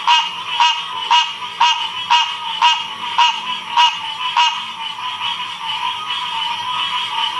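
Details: Frog chorus recorded in Ocean Springs, Mississippi, in 2016: a nearby frog repeats punchy croaks about twice a second for several seconds, then fades into the steady trilling chorus of others.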